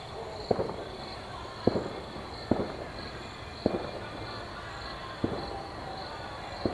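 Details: Crickets chirp loudly in a steady, high pulsing trill while distant suburban fireworks pop and crackle during New Year celebrations.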